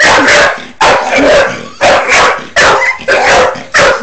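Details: Bull Terrier barking during play with a hamster: five loud, rough, broad barks spaced roughly three-quarters of a second apart, each trailing off before the next.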